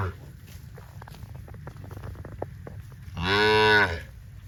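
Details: One of dozens of tame cows running in green rice fields on a cattle farm; after quiet clicking and rustle, a single loud, rich harmonic moo lasting under a second near the end.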